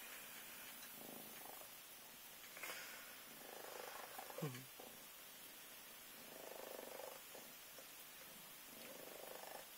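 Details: Indoor Minskin cat waking up a boy, purring softly in regular breathing-paced pulses, with a short whoosh of movement midway and a low room hum.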